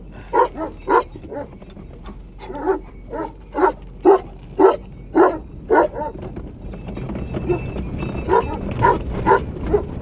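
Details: Anatolian shepherd dogs, Malaklı and Akbaş, surround a car on a rural road in Anatolia, Turkey, guarding their flock and home: deep, rhythmic barking about twice a second, several dogs overlapping, with a man speaking in between.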